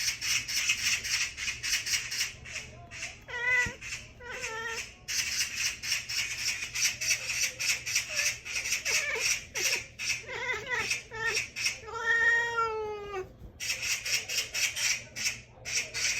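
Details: Hongsi, a cat described as angry, chattering in bursts of rapid, wavering, stuttered cries that rise and fall. The longest trill comes near the end. A steady, pulsing broadband hiss runs throughout.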